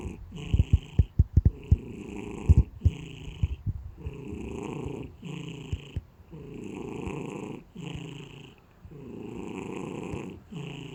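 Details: Pet cat snoring: slow, rough, rumbling breaths repeating about once a second, low and droning, with a few sharp clicks and taps early on.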